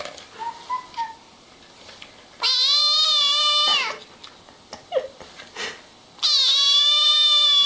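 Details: Two long, piercing kitten cries, each held over a second, shrill and steady with a slight waver, from kittens at play with their mother; faint soft chirps and small clicks fill the gaps between.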